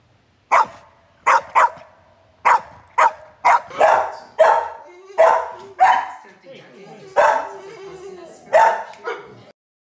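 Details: An Australian Shepherd, a breed called loud and hyper, barks roughly a dozen times in ten seconds, harsh and forceful, in uneven pairs and runs, with faint voices underneath.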